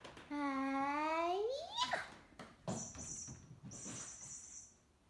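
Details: Pet cat named Mr. Butters during play indoors gives one long drawn-out meow that starts low and slides upward over about a second and a half. High thin squeaky sounds follow, with faint household noise.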